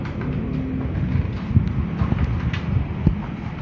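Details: Low rumbling machine or vehicle noise with a few knocks and clatters, and no animal voice.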